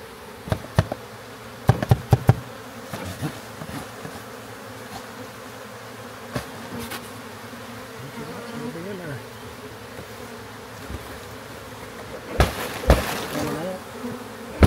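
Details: Massive backyard honey bee swarm during capture and rehousing in a hive: a continuous low humming drone from many bees, with sharp knocks and thumps from hive work and brief faint voices.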